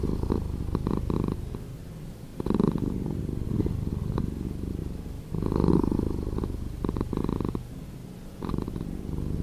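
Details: Domestic cat's purr slowed down in editing, a gravelly, pulsing low hum with stronger surges near two and a half and five and a half seconds, softer rumbling in between.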